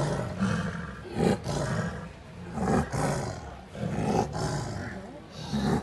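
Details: Two 17-month-old wild Bengal tigress sisters fighting over territory in Ranthambore National Park, Rajasthan, India: harsh, rasping roars and snarls in bursts roughly every second and a half, with faint human voices.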